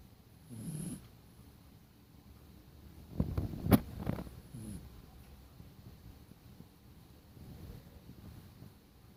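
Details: A sleeping dog snores in low, rough rumbling breaths that come in slow, uneven bursts near the start, middle and end, with one sharp click in the loudest stretch and quiet room hush in between.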